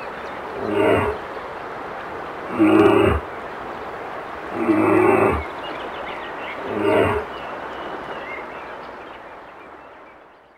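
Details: Brown bear, howling: four gruff, grating roars roughly every two seconds, each short and harmonic-rich, then the sound trails off into fading background noise.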